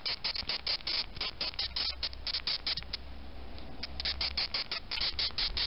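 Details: Male death's-head hawkmoth (Acherontia atropos) reacting to a finger's touch, giving rapid runs of short, harsh, scratchy squeaks, several per second, with a quieter pause near the middle before the squeaking resumes.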